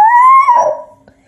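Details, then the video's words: Pet Basenji dog talking to its owner indoors: a single loud, clear yodel-like howl that rises slightly, then bends down and breaks into a rougher, wavering tail before fading, under one and a half seconds long. "Basenji Talking To Me"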